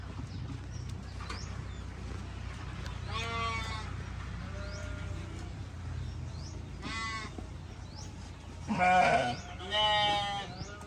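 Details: Sheep bleating together in a group: four separate tremulous, nasal bleats spaced a few seconds apart, the last two louder and closer, against steady low background hum and occasional thin bird chirps.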